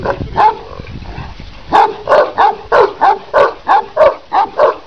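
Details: Kangal, the Turkish shepherd dog, a 90 cm, 90 kg animal from Sivas, Türkiye, gives a few deep barks, then a steady run of loud, booming woofs about every half second.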